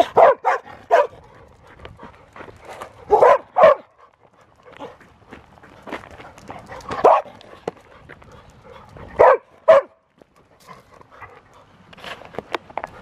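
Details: Field-type Labrador Retriever playing with a ball, giving short barks and yips in irregular bursts, some doubled, separated by pauses of a few seconds, with soft rustling and movement noises between.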